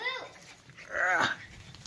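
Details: English Bull Terrier, filmed indoors, lets out a brief high whine of about half a second, its harmonic tone swelling and then dropping away, just after a person speaks about newspaper.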